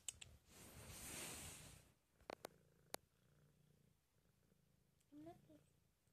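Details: Sleeping cat snoring: one long, breathy, rasping exhale fills the first two seconds, followed by a few sharp clicks, a quiet stretch, and a brief tonal voiced sound near the end.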